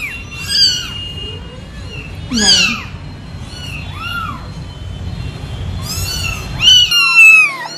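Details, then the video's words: Domestic cats giving several thin, high, arched meows spaced a second or two apart over a rough, rumbling background noise. "cats voice/ lovely cats."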